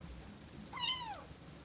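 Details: Kitten among several reacting to a strange sound and staring at the camera. It gives a single thin, high meow about half a second long that slides downward, over a low steady background hum.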